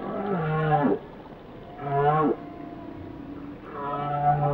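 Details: Whale song: three drawn-out, low, harmonic moans, each about a second long and ending in a short upward bend, separated by quiet gaps.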